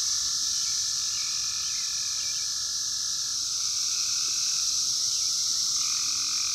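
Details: Massed 17-year periodical cicadas of Brood X singing in the wild in 2021, phone recording: an unbroken high whining roar, with lower buzzing phrases shifting in pitch and overlapping throughout.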